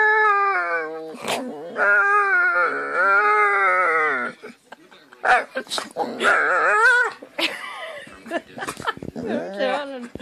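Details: A drowsy dog gives odd vocal noises: drawn-out, wavering, whining moans that rise and fall, the first lasting about four seconds, followed by shorter yelping whines and breathy puffs in a small indoor room.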